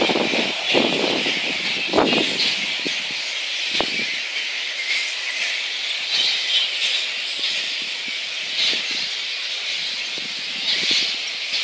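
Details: Recorded 02/01/2014 in Boonah, Queensland, Australia, megabats (flying-foxes) keep up a continuous shrill chorus of overlapping squeals, with a few sharp clicks and crackles early on.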